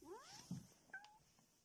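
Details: Pet cat indoors, in a home compilation: a short, quiet meow that rises and bends over about half a second, followed by a couple of faint, high, thin squeaky tones. The room is otherwise calm.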